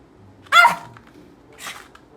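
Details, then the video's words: Silver poodle, indoors, waiting impatiently in front of a treat while being told to wait and sit; one short high whining yelp with harmonics, then a fainter breathy second sound, a person's commands around it. "기다리지못하는 강아지"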